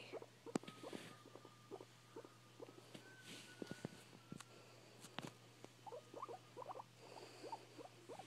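A guinea pig makes quick runs of soft, chuttering pulses, paused and then repeated, over a faint steady hum.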